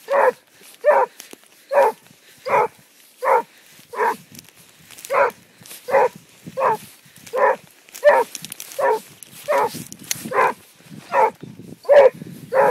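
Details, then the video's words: Basset Hound out on the track, barking repeatedly in a long, rhythmic series of about nineteen deep, clipped barks at a steady pace, with faint outdoor background noise. "Basset hound on the track"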